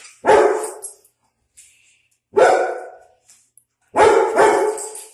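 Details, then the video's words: German Shepherd, territorial with a guarding instinct, and a Pitbull bark indoors at a dog outside; sharp resonant barks spaced one to two seconds apart, the last a quick double bark, with quiet gaps between. "German Shepherd And Pitbull Reaction To A Dog Outside"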